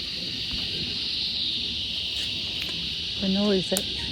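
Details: A small Australian bush cicada in the bush, very noisy for its size, gives a steady, high, shrill drone that never lets up.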